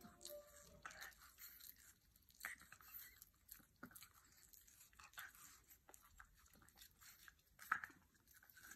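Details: A blue and light brindle French Bulldog chews noisily on watermelon, with wet crunches and smacking bites.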